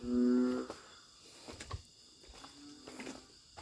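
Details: Narrow-mouthed frog calling loudly along a creek at night in Thailand: one short, steady, low droning note with stacked harmonics, then a faint second note amid night insect noise.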